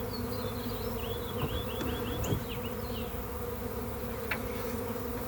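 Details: Freshly captured back-yard swarm of honey bees humming steadily in a low, thick drone, while a wild bird sings a quick run of high downslurred chirps in the background and a couple of faint knocks sound.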